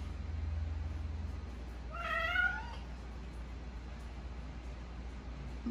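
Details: Domestic cat attacking a newly bought houseplant gives one drawn-out meow about a second long, rising then falling, over a quiet indoor room hum; a person scolds it just before and after.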